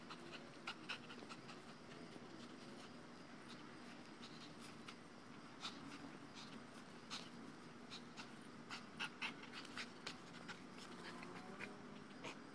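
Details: A two-year-old male Dogo Argentino pants after playing with a tethered tug toy anchored to a ground base, tired and happy after a few minutes; steady breathy rasping with scattered sharp clicks and knocks throughout.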